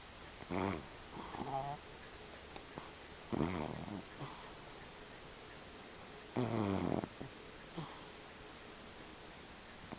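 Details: Sleeping domestic cat, a former stray, blissfully snoring indoors, recorded unenhanced; rough, rasping snores in bursts about three seconds apart, each under a second, with soft breathy sounds between.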